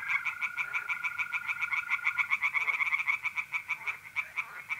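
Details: Tree frogs calling by night at a pond in north-eastern Italy in mid-April: quick strings of sharp, regular croaking pulses, two callers alternating and overlapping, with mole crickets trilling steadily in the background.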